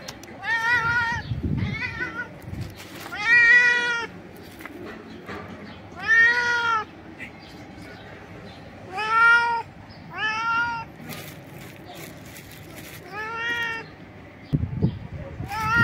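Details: A stray cat jumping about and screaming loudly with joy over food gives a series of about eight short, rich harmonic meows at uneven intervals, with clicks and scuffing between them.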